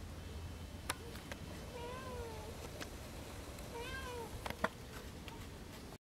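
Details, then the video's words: Big tabby female cat asking to be let back into the house gives two clear, wavering meows about two seconds apart, with sharp clicks and taps around them over a steady low background. "Grosse chatte tigrée qui veut rentrer dans la maison"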